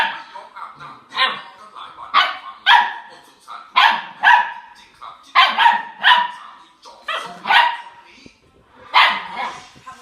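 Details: Border Collie barking loudly and repeatedly in bursts of two or three sharp barks, roughly every second, with short pauses between volleys.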